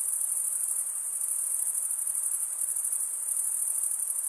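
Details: Continuous shrill chirping of many crickets, made by males rubbing a toothed wing vein against the other wing, forms an unbroken high ringing band with a faint rapid flutter.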